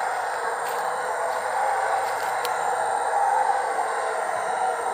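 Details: Only a steady, even hiss of background noise is heard, with no clear animal voice. A few faint clicks stand out briefly.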